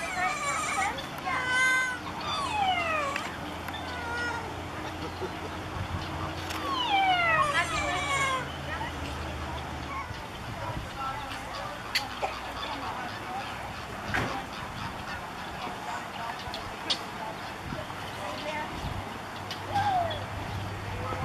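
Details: A group of ring-tailed lemurs calls, perhaps territorially, with children making noises nearby: two clusters of rapid, overlapping, descending mewing wails early on, then mostly background chatter and scattered clicks with one faint late cry.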